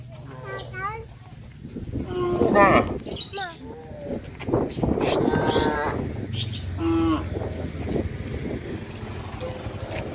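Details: Herd of village cows walking to pasture along a country road each morning; several short overlapping moos from different animals, mixed with hoof and ground noise and a steady low rumble.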